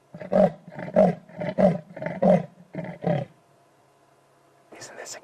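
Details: At sunset on June 13, 2016, in the Sabi Sand, a male leopard gives a rasping roar of deep, hoarse strokes like a saw cutting wood. He seems to be listening for rivals to his territory, and a male lion also called.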